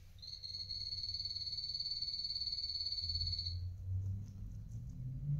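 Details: Pet male guinea pig, Coffee or Toffee, adopted as an adult, calling while eating: a long, steady, high-pitched whistle with a rapid pulsing texture for three and a half seconds, followed by low rumbling sounds.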